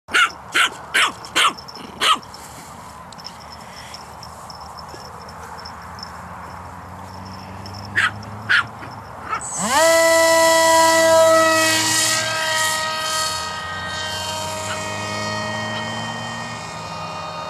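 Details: Chihuahua at a park, excited by RC airplanes being unloaded and checked before flight. Five sharp, quick barks open, two more follow later, then the loud, rising whine of an electric motor takes over.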